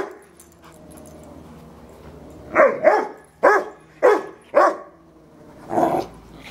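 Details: Yorkshire Terrier named Fred harassing a household Rottweiler, Robbie: after a quiet start, six loud, yappy barks arrive in quick succession, the last one longer and slightly muffled, over faint background hum.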